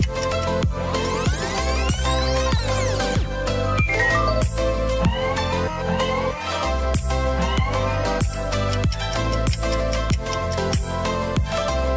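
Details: Loud electronic dance music with heavy bass beats and sweeping synth tones plays throughout, with no animal sound.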